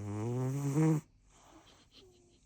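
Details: Rescue cat Rinchan, aged four years seven months, snoring: one deep, rasping, harmonic snore lasting about a second, followed by near silence and a faint soft breath.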